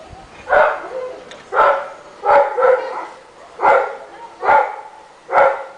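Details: A neighbourhood Rottweiler, said to be heard barking all day long, gives a run of loud, rich, harmonic barks at an uneven pace of roughly one per second, with quiet gaps between.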